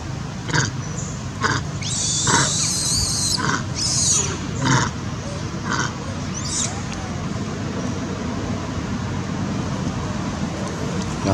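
An angry monkey gives harsh, screechy bursts in quick succession over a steady background hiss.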